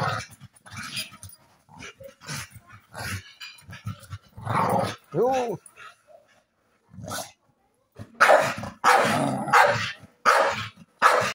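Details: A male American Staffordshire Terrier in New Zealand gets feisty with his owner, giving gruff, playful barks and growls in uneven bursts.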